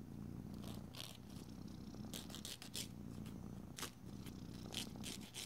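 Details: Domestic cat purring steadily while its nails are filed indoors; a continuous low rumbling purr runs throughout, overlaid by short dry scratching strokes of a nail file and occasional soft clicks.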